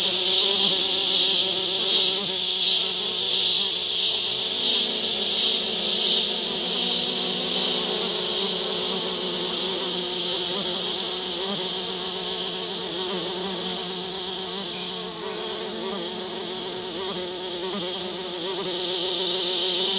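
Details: On Barro Colorado Island, wild male orchid bees collect scents from a paper towel set on a forest branch; steady buzzing hum with shifting harmonics, loudest early and then softer, masked partly by an even high hiss.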